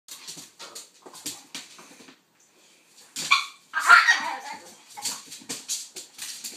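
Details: Two dogs, a pitbull and a King Charles spaniel named Kaiser and Viki, playing together; short scratchy bursts and yips come in quick irregular clusters, with a brief silent gap before a louder, rougher flurry.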